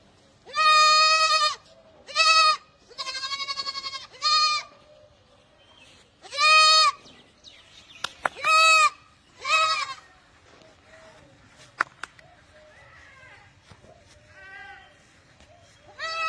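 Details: Barbari goats bleating: several loud, harmonic, nasal bleats, some wavering, each about half a second to a second long, coming in irregular bursts with short pauses, plus faint clicks and background chatter between calls.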